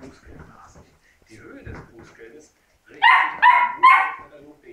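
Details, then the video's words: Labrador puppies at the moment of farewell to their littermates; faint rustling and soft sounds give way to three sharp, harmonic yelps about half a second apart, followed by a low whimper. "Abschied von den Geschwistern.Labrador Welpe"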